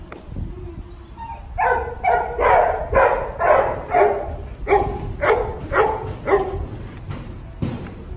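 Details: Puppy barking after a quiet start: short, bright yaps with clear harmonics, repeated roughly twice a second in a steady string, with a brief pause near the end.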